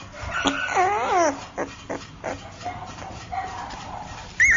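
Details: Chinese Shar Pei puppy giving a short wavering, whining yelp with harmonics that rises and falls quickly, then soft faint sounds and a brief high squeak at the end.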